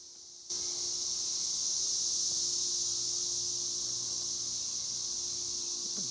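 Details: A swarm of freshly emerged cicadas near a burned area: after a brief quiet moment the shrill, high droning chorus switches on abruptly and continues evenly, with a faint low steady hum beneath.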